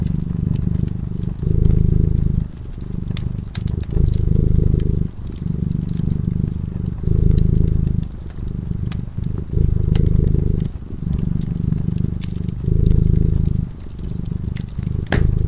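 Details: Cat purring while sleeping in front of a crackling fireplace: a deep, steady rumble in long swells of one to two seconds with short breaks between, over scattered sharp pops and crackles from the fire.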